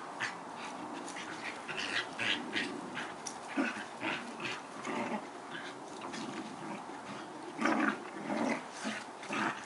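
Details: Collie-cross pair Badger and Pirate play fight, giving repeated throaty growls and snarls in irregular bursts every second or so across the clip, mixed with scuffles, paw taps and rustling.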